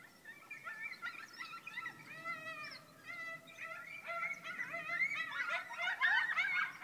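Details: A coyote (Canis latrans) pack howls and yips together at night in November 2012, about 40 feet from a house, hunting chickens; the chickens' clucking excited them, and their wavering voices overlap into a rising chorus.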